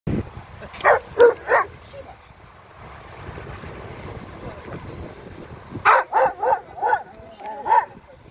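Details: Black Giant Schnauzer barking: a quick run of four sharp barks near the start, several quiet seconds of low murmur, then a second burst of four barks followed by one final bark.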